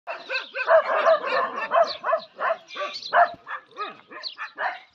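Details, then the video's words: Desi dogs fighting among themselves: rough, harmonic barks and snarls in quick, uneven bursts, about three per second, with growly overlapping voices and brief gaps between outbursts. "Desi Dog 🐕🐕🐕 ki apis man lari"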